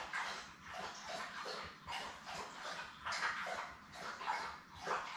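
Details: Newborn Labrador Retriever puppies, a litter of seven born May 24, 2021, with their mother Belle on a live puppy cam; repeated high, thin whimpering squeals rising and falling in short bursts roughly every second.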